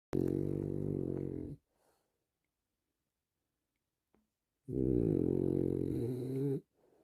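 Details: French Bulldog snoring while relaxing indoors: two long, rough, low rumbling snores about two seconds each, separated by a few seconds of quiet.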